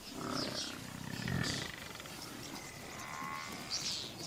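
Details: Lions from one of two rival prides: a low, pulsing, rumbling growl builds to a peak in the middle, then fades into quieter breathy rumbles over soft background noise.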